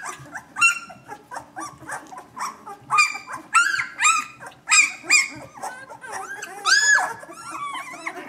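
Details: Blind newborn Vizsla puppies getting around and calling: dense, rapid chorus of short arched yips and squeals from several pups, some rising high and shrill, with a faint low hum beneath.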